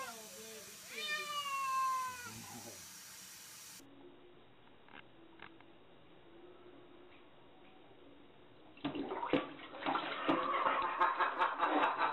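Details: Domestic cat playing in water gives a drawn-out meow with a stacked harmonic series, sliding downward over about two seconds. Quiet water and handling noises follow, then louder splashing toward the end.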